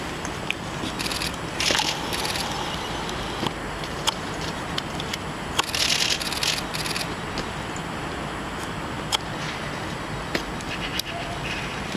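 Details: Only crackling, scraping handling noise and a steady background hiss are heard, with no animal calls.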